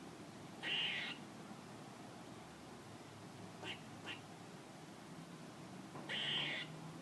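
A squirrel gives two harsh, raspy calls about five seconds apart.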